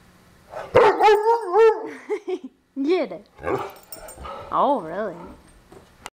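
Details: Pet dog Charlie playing with its stuffed Lorax toy, whose leg sticks out from under a door; wavering, rising-and-falling whiny yowls in several bursts, mixed with a person's encouraging voice.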